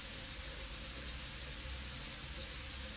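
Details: A tiny male insect, likely a cicada, sings a continuous high-pitched, rapidly pulsed buzz that rolls on unbroken; two brief louder clicks stand out over a faint low rumble.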